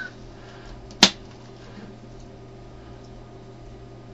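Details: A single sharp click stands out against a low steady hum, with no animal voice. Nothing else breaks the quiet indoor background.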